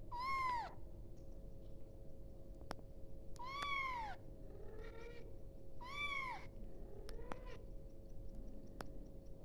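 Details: Kitten calling for its mother: three loud, high, harmonic meows that rise then fall, spaced about every three seconds, with softer mews between them over a steady low hum and faint clicks.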